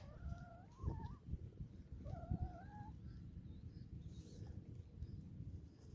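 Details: Playful cat during playtime giving two rising, wavering meows around the first and second seconds, the second drawn upward at its end, over a steady low rumble of background noise.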